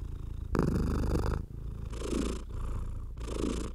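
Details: Purring domestic cat under a stroking hand: a low, steady throbbing purr runs throughout, overlaid by three separate bursts of hissy brushing from the strokes.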